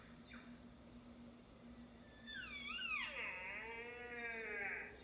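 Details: Sika stag roaring: a long, high whistled scream that rises and bends, then slides down and holds as a wavering harmonic wail for about two and a half seconds, after a faint brief squeal near the start; a steady low hum underneath.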